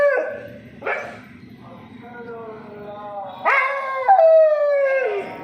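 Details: Kanni dog howling in response to the call to prayer from a nearby mosque, keeping it up until the prayer ends. Drawn-out harmonic howls glide downward: a short one at the start, then longer rising-and-falling wails in the second half over a low droning background.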